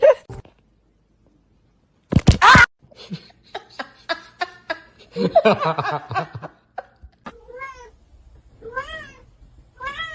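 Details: Pet cats in a compilation of funny home clips, several short rising-falling meows with harmonics toward the end, after a loud burst and stretches of speech and laughter from people indoors.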